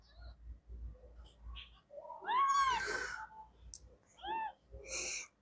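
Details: Three-day-old kittens calling together, giving high, arched, mewing cries that rise and fall, with a long one near the middle followed by two shorter mews. Faint soft sounds lie between the calls.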